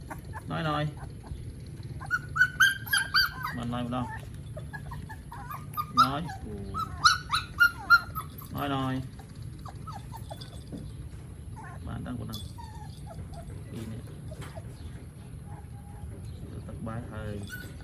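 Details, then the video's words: Puppies drinking milk in the morning in Siem Reap, Cambodia, give short high whines and squeaks in bursts, clustered around the middle of the recording. People talk in the background throughout. "Adorable Puppies Drinking Milk in the Morning"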